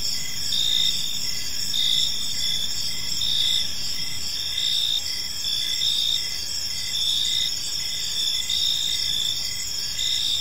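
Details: Crickets chirping in a peaceful park as evening unfolds: a steady, high, shimmering trill layered with short lower chirps repeating a little more than once a second, and faint low background rumble.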